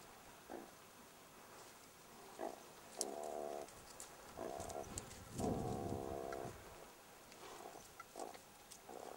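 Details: Young jackals attacked inside their burrow by a meerkat produce a run of raspy, buzzy growls, short ones at first, then longer and louder snarling bursts, ending in quick clipped growls amid scuffling clicks.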